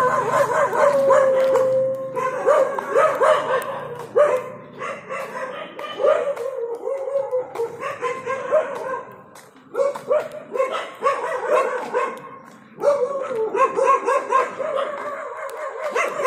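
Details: Labrador Retriever named Lyca at a leash walking training session in Bangalore, India; a dense run of sharp, rapid barks and yips in quick succession, a few brief pauses between bursts, one short whine early on.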